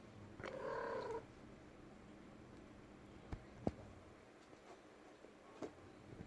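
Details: Female pet cat making noise inside a room: one mid-pitched, harmonic call lasting under a second, followed by quiet with scattered sharp clicks and taps and a faint low hum.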